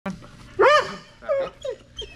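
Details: Strider, a Belgian Malinois at Fetch-It (air retrieve) dock diving practice on 10.25.22, gives short arching whines and yips while held on a stay before the jump, with a handler's spoken commands.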